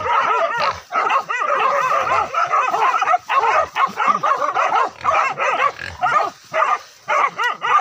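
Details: Village dogs hunting wild boar, chasing it from the forest down to a river, bark and yelp in a frantic, nearly continuous volley. Short sharp barks come several per second with brief pauses.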